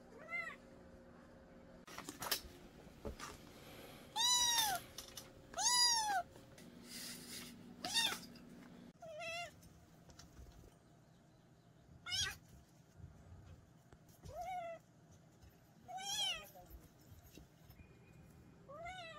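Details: Young kitten from a mountain village, recently adopted, indoors. Its meows are rising-falling and whiny, about eight over twenty seconds at uneven gaps, some faint and some loud, over a low steady hum.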